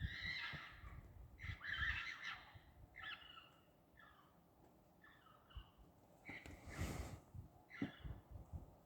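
A fox gives a series of harsh, raspy screams, each burst hoarse and wavering.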